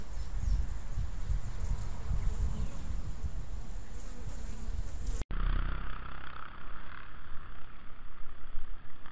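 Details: African honey bees at a small garden hive in an old apricot tree, kept for a few months; a dense, low, steady buzzing hum with rumbling wind-like noise, changing in tone after a brief cut midway.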